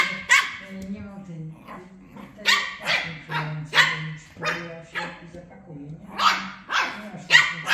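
Shih Tzu puppies trade short, high yappy barks in quick bursts, with whining tones between.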